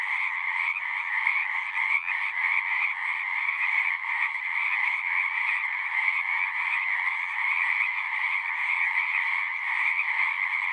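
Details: Many frogs singing together in a natural setting, their calls merging into an unbroken, even-level trilling drone with a bright upper band and a lower one, steady throughout.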